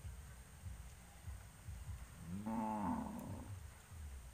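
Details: Livestock cattle gathered on a road before heading to pasture; a cow gives a single drawn-out moo, rising then falling, over low rumbling background noise.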